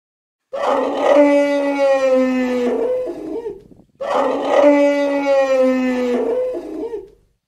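A deer gives a long, tonal, slightly falling bellow, then repeats it after a short pause.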